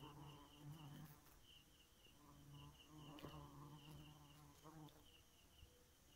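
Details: At night, a bee hums in a low, buzzy drone that breaks off and returns in short stretches, with faint rhythmic high chirping throughout.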